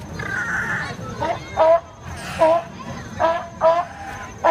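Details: Sea lion at the Bronx Zoo on 26 August 2015, giving a run of short, harmonic, honking barks in quick bursts, about five calls within a few seconds, over a low murmur of background noise.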